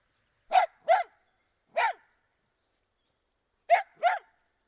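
A Dachshund gives sharp, mid-pitched barks, mostly in quick pairs, with silent gaps between.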